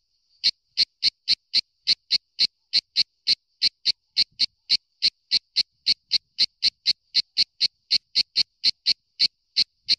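A cicada gives a steady run of short, shrill, buzzy bursts, each pulse crisp and high-pitched. The rhythm rolls on almost evenly, nearly two per second or a little faster, with nothing else heard.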